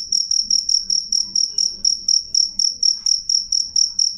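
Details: Short run of clear, loud cricket chirps: piercing high pulses, each slightly trilled, coming about four times a second, with faint low background hum.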